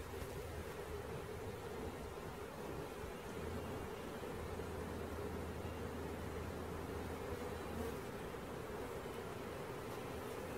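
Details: Captured honey bee swarm making a continuous, unbroken low drone, like a thick hum with no pauses. A deeper mechanical hum comes and goes underneath.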